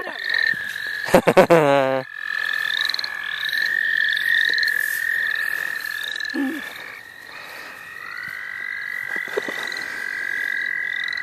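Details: Frogs calling at the St. Olaf College Natural Lands while people catch frogs for fun: a dense, steady trilling chorus held at one high pitch, with several higher overlapping trills and a burst of human voices near the start.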